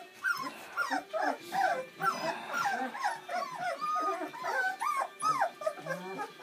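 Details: Seven newborn Bernese Mountain Dog pups at their first-ever feed on Mothering Sunday, born Valentine's Day 2013: a steady stream of bent, yelping whines from several puppies together, rising and falling in quick succession.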